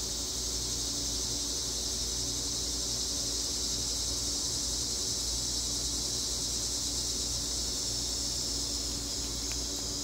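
A chorus of cicadas fills the air with an unbroken, high-pitched electric buzz. The droning hiss stays level from start to finish, with a faint low hum beneath it.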